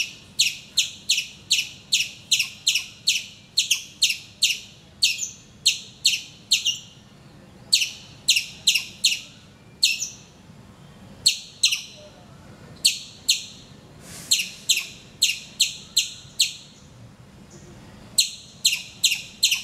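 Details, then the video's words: In Calicut, Kerala, India, a squirrel calls from a mango tree near a window each morning; high, sharp chips come in fast bursts of several notes, broken by brief irregular gaps. "Nature's alarm clock - my squirrel friend"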